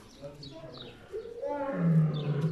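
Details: A lion in a zoo gives a deep, rumbling roar that swells in the second half, with visitors talking nearby.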